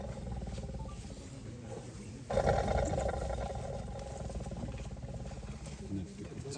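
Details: Caged tiger captured in Wayanad: low rumbling growls, then a sudden louder, harsh roar from a little past two seconds that carries on, while people chatter nearby.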